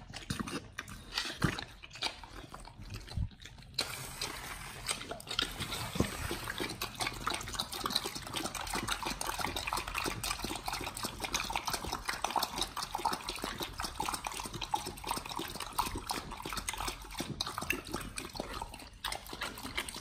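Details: Dogs eating raw chicken breast and duck feet as a BARF meal in close ASMR recording; a few separate crunches at first, then continuous wet gnawing and slurping crackle.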